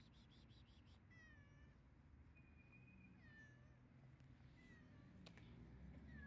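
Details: Stray cat meowing, a string of short high meows, some falling in pitch and one held flat near the middle, spaced about a second apart over a steady low rumble of outdoor background noise.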